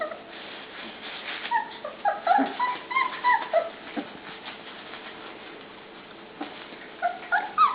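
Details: Puppies penned together at dinnertime give scattered high, tonal whines and yelps, some rising and falling, in irregular bursts with quiet gaps, while a person talks nearby.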